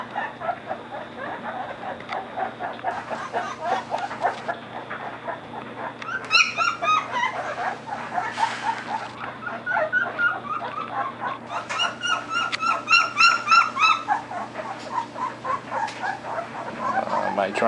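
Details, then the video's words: Three 13-day-old Belgian Shepherd puppies with eyes newly open, chirping together: dense rapid squeaky chirps and whimpers, some high bright rising notes, several pups overlapping continuously. "The Bomb Squad Chirping"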